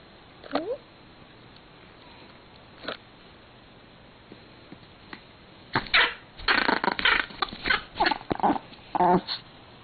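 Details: An angry pet Pomeranian indoors, upset when his favourite string is taken; mostly quiet at first with a brief yelp, then from about six seconds a run of rough, rasping growl bursts and snarls, with a person speaking nearby.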